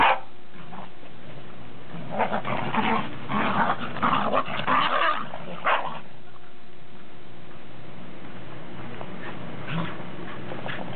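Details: Domestic dogs, Pembroke and Cardigan Welsh Corgis with a Cairn Terrier, recorded 30 December 2006; a run of rough growling and scuffling noises in the middle, then quieter stretches with faint steady hum.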